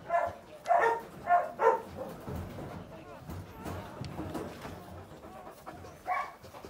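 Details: Dalmatian puppy, the second female of a litter, wearing a red collar, gives four quick yelping barks in the first two seconds, then faint background murmurs and one more short yelp near the end.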